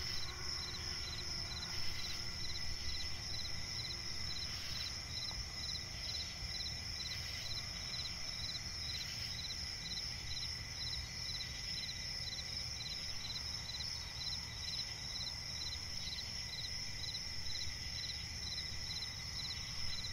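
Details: Crickets chirping at night in a swamp forest: short high pulsed chirps repeating about twice a second over a steady, shrill continuous trill, with a low rumbling background hum.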